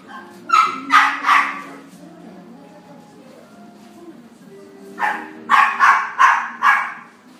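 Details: A female yellow Miniature Dachshund born in February 2017 barks in short, sharp bursts: three quick barks, a pause of several seconds, then five more barks in fast succession, with faint background tones between.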